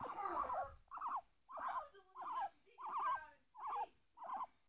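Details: Pet guinea pig Peeta, held close and chewing at a person's chin, gives a steady series of short wavering squeaks, about one every half second, each a quick rising-falling chirp, in a quiet room.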